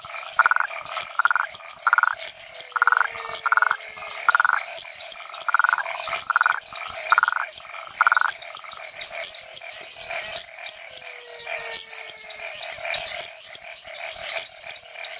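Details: Rhinella cf. paraguayensis toad recorded at a research station in the Chiquitania lowlands of Bolivia, an area with over 40 frog species: short pulsed notes repeated about twice a second in runs, over a constant high insect or frog chorus.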